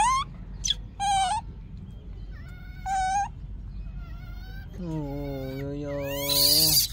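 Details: Yaya's baby monkey, wanting Yoyo's milk, gives piercing high screams, some short and rising, others drawn out and flat, with a lower steady voice near the end and a noisy burst to close.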